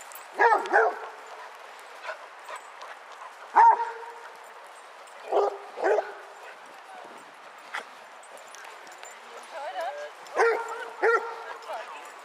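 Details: Basset Hounds, part of a group of 22 walking round Hazlehead Park, Aberdeen, Scotland, on 2 February 2014: deep, ringing barks in short bursts, spaced several seconds apart, with quieter voices and outdoor bustle between.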